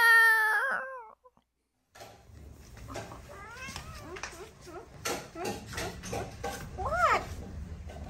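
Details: A pet cat meows indoors: a loud wavering meow opens, then after a pause several shorter rising-falling meows follow, ending with a clear upward-bending meow near the end, mixed with a person's speech and background music.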